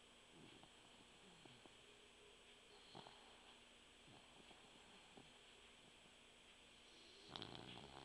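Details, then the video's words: Sleeping puggle named Mugzie snoring: soft, scattered nasal snuffles, then a louder raspy snore near the end, over a constant hiss. "when puggles sleep they snore"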